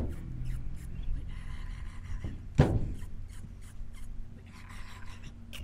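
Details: Male dromedary camel among Bedouin camps in the Wadi Rum desert, making its bubbling gurgle, done only by males to attract females: a low, rumbling, bubbling stream of sound under a sharp burst, with laughing voices around.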